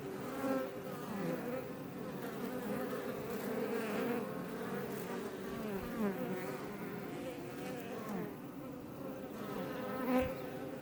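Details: Iberian honey bees around a Langstroth beebox west of Roquetes, Catalonia, close to Els Ports National Park; constant multi-toned buzzing with wavering pitches and a few louder close flybys, near the start and end.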